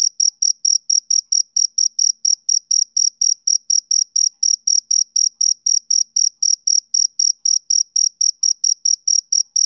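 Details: Male cricket chirping in a steady rhythm, about four short high-pitched chirps per second, each a bright pulse with a faint higher overtone, unbroken and with no other sounds.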